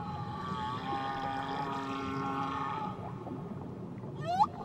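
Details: Tahiti whale song: a sustained harmonic moan lasting about three seconds, then a quick upward-sweeping squeal near the end, with continuous low water noise.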